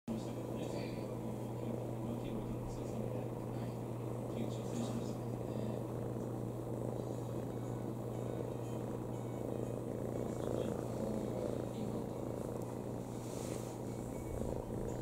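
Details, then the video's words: Rintan, a pet cat lying on a person's lap and looking content, purrs in a low, continuous rumble that swells and fades with each breath, over a steady electrical hum and faint rustling. "膝ネコさん ゴロゴロ"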